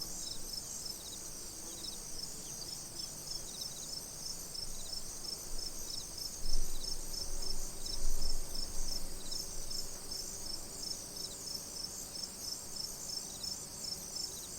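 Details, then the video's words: Crickets at a tranquil pond keep up a steady, high-pitched shimmering trill over a soft low rumble. "Cricket Sounds, Tranquil Pond, Relaxing Scene"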